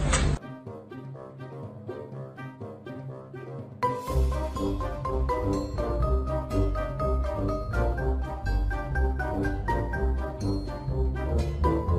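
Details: Bright mallet-percussion music over a steady bass beat, with no animal sound.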